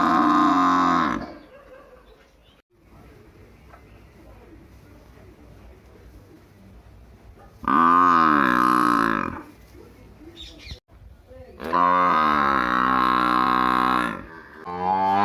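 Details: A village buffalo gives three long, deep, harmonic bellows separated by quiet pauses.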